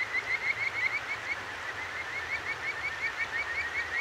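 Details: Kajika frog singing at night at a clear stream in Tokyo's Akigawa Valley, ZOOM H6 recording: a continuous series of bright, chirped notes about three per second, loudest early on, with flowing water steady underneath.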